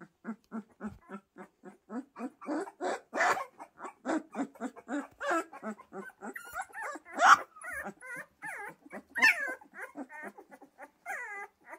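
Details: Pyrenean Mountain Dog puppies making a steady series of short grunts and growls that turn into higher whining yelps and whimpers in the second half, several puppies calling at once.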